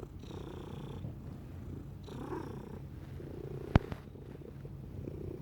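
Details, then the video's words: Domestic cat purring steadily in a low, rumbling drone, with soft breathing swells and one sharp click near the end. "Cat Purring"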